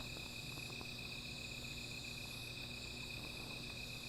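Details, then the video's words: Insects calling at night beside a small fire: a steady, high-pitched shrill chorus that holds an unbroken tone, with a fainter, higher ringing layer above and a low constant hum underneath. "Sound of Insects"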